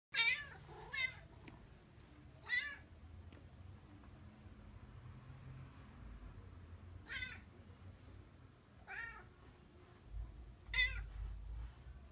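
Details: Kuma, a male Bengal cat in heat, cries in a weird way when touched. He gives about six short wavering meows spaced a few seconds apart in a quiet indoor room.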